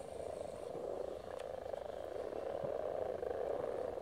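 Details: Low croaking of many spawning frogs at Silton Forest runs without pause as a dense purring hum, gently building in volume, with only faint sounds above it.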